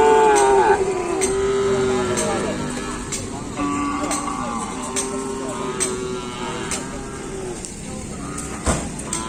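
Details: Kerapan Sapi racing cattle training at the Asemanis field in Pamekasan before a race; a strong moo with a sliding pitch opens the clip, then softer lowing tones drift in and out beneath chatter, scattered clicks and a sharp knock near the end.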